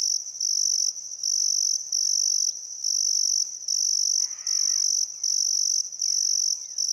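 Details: Crickets at a river at sunset in Outback Queensland's Welford National Park, summer, calm weather: a piercing high-pitched pulsing trill, bursts under a second long separated by quick breaks. One brief scratchy bird call near the end.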